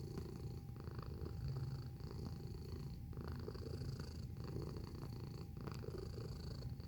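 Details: Domestic cat purring, recorded in close-up: a continuous low rumbling purr with rapid rhythmic pulses and a steady level throughout, plus a faint constant high whine and a few soft clicks in the background.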